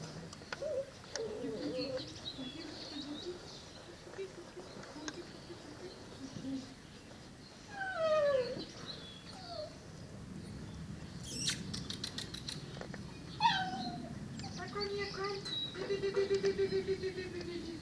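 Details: Seven-week-old Presa Canario and Cane Corso puppies whimpering: thin, high whines sliding downward in short bursts, a steadier tonal whine near the end, with soft rustling and scattered clicks between calls.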